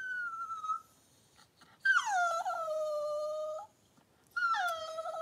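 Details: Cavalier King Charles Spaniel litter being born, six puppies delivered in two hours by the mother Daisy, indoors. Drawn-out tonal whines, one brief, then a longer one falling and levelling off, then a third starting after a short pause.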